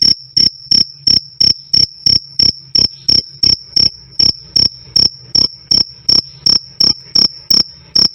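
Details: Cricket calling loudly and cleanly, a "krik krik" master track for cage birds; crisp high-pitched chirps fall evenly, nearly three per second, over a quiet background with a thin sustained tone.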